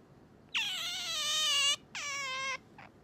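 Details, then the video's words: Pet otter in the morning, calling to wake its owner: a long, loud, high whining squeal that dips and then holds level, a shorter second squeal after a brief gap, and a faint short third note, with a quiet room behind. "朝は静かに起こしてくれないカワウソ Otter coming to wake me up"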